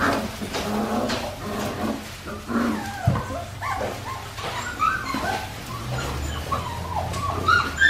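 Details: Australian Shepherd puppies at Fifteen Acre Farms, aged four weeks and five days, giving soft wavering whimpers and thin high squeaks over a low background rumble.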